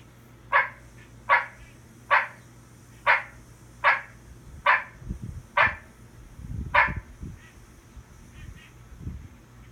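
A barking tree frog gives short, hollow barks, repeated a little under once a second.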